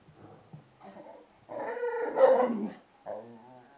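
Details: An 8-month-old Bull Terrier playing with balloons makes throaty, harmonic growls and grumbling bursts in uneven pulses with brief quiet gaps, rising to a louder, strained outburst in the middle.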